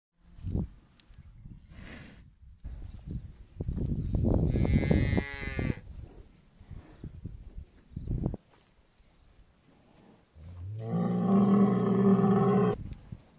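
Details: Bulls being fattened for sale low harmonic moos around 4 to 6 seconds and a long loud bellow near the end, mixed with thumps and farm noise.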